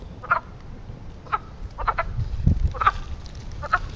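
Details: Mating frogs at a man-made pond in Western Pennsylvania in spring give brief clucking croaks, some single and some doubled, spaced about half a second to a second apart over a soft low background hum.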